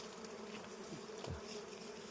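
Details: Steady, even drone of many wild honey bees around combs being harvested for wild honey, with a brief louder buzz as a bee passes close in the middle and soft background hiss.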